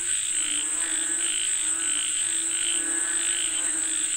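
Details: Frogs calling for rain: a dense chorus of throaty, pulsing croaks with a brighter rasping layer above, over a steady high-pitched whine that runs unbroken throughout.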